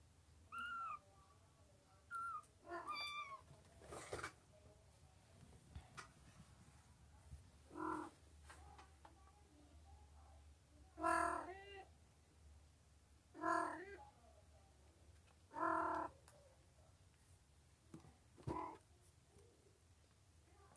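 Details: Domestic cat meowing indoors: about five drawn-out, tonal meows with rich harmonics, spaced roughly every two to three seconds, preceded by softer, shorter chirping mews; a quiet room with little other noise.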